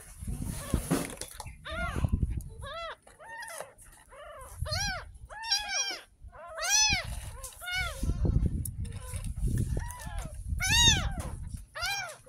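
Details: Ten-day-old kitten, found in a drain in front of a house, getting its first bath: high arched mews repeat about every second, with low murmuring voices and splashing underneath.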